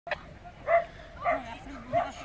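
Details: Arabian greyhounds at the 2016 Polish Championship race in Bytom on 17 September, run 14, being picked up after finishing; three short harmonic yelping barks spaced about half a second apart, with a faint human voice murmuring underneath.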